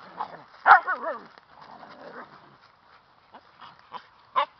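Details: Siberian husky puppies: one short, loud yowl with a wobbling, bending pitch, then softer murmuring whimpers and a few faint scattered yips and clicks near the end.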